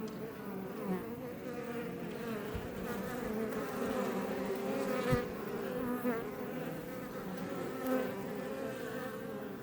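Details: Iberian honey bees (Apis mellifera iberica) outside a Langstroth hive near Roquetes, south Tarragona, Catalonia, Spain, near Els Ports National Park, hum densely and steadily, with individual wingbeats swelling and fading, recorded up close.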